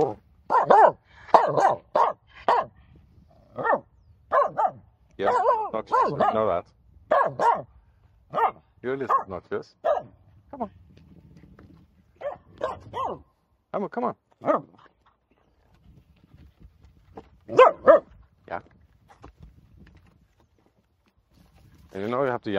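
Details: Finnish Spitz barking excitedly from a bay jetty: dense runs of loud, clipped barks, a quieter pause midway, then more barking and a final yelp, while a person speaks to the dog throughout.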